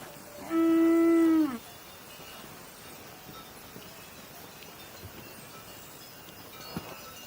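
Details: A cow lets out one short, strong moo of about a second with a steady tone that slides downward as it ends, followed by quiet background with a single faint knock.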